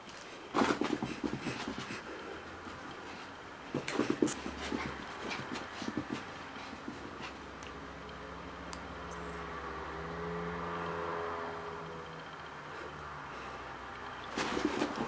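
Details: A red Toy Poodle, playing with a hair dryer, gives a few sharp, high yapping barks over the dryer's steady whir.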